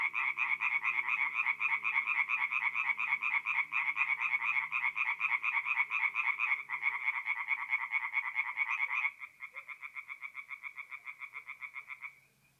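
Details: Singing tree frogs in a forest pond at night, mid-April, North-East Italy; a loud pulsing croak chorus that drops abruptly after about nine seconds to a softer single caller repeating rapid croaks before stopping.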